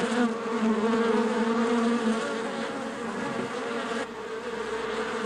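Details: Bees buzzing in their hive, a continuous low droning hum, slightly louder at first, then settling into an even, steady whirr.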